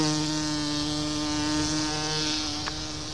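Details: Bumblebee visiting Solomon's seal in a small garden on May 29, 2014: a steady, deep droning buzz with rich layered overtones, holding even pitch throughout and fading slightly toward the end, with one brief click near the close.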